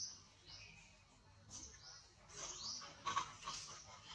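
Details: Very small baby monkey giving thin, high squeals that sweep down in pitch, several overlapping cries in quick succession over faint background noise.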